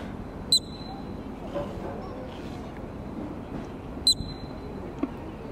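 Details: Columbian ground squirrel in a park with a crowd around it, in Banff, Alberta, Canada. Two sharp, high, piercing chirps ring out about three and a half seconds apart over a low murmur of people and outdoor background noise.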